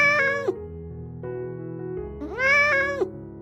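A Maine Coon gives two clear, mid-pitched meows about two seconds apart, each swelling upward then sliding down, over a soft bed of music.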